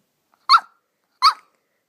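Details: Poodle puppy named Daisy, indoors, digging under a couch for a ball: two short, sharp yipping barks about 0.7 seconds apart, bright and mid-pitched, with silence between and no other sounds.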